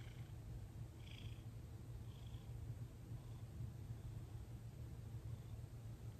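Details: Domestic cat named Thomas relaxed under massage, December 6, 2021; a constant low, throbbing purr fills the clip, with a few faint stroking noises near the start.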